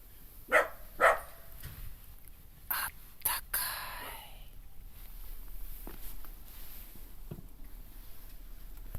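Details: Kai Ken dog barking in a home garden during glamping beside a bonfire: two loud, quick barks close together at the start, then crackling and clattering sounds and quieter background noise.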